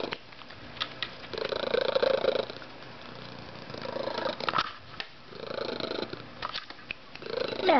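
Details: A male house cat known for a very loud purr gives a softer-than-usual purr, a buzzing rattle rising and falling with each breath about every two seconds, with a few faint clicks and rustles.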